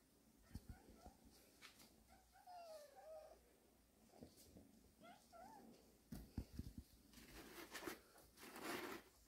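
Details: Cat family resting in a warehouse: a few soft, thin mews with a rising-falling bend, heard singly amid rustling, handling clatter and thumps in a small room.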